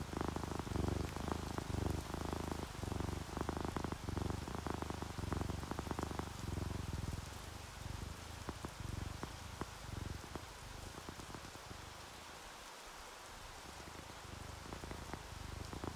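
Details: Relaxed, sleepy orange tabby and calico cats purring: a low rumble pulsing with their breathing fills the first half, then fades as falling rain and scattered drips take over.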